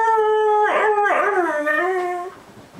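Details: A pet whippet, one of two, howls or "sings" when its owner asks it to. It gives a steady tonal wail that dips and wavers, then slides lower before fading after about two seconds. The owner's voice is heard nearby.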